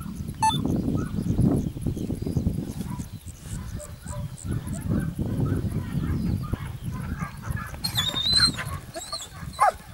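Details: Segugio Italiano hound at Sofiko, Evros, on 12 June 2021, giving distant, broken bays and yelps at irregular intervals over a heavy low rumble of wind and handling noise, with a brief high chirping near the end.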